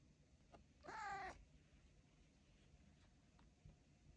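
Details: Theo, a pet cat, gives a single drawn-out harmonic meow lasting about half a second while his owner chats to him indoors; light background hiss and a couple of soft knocks.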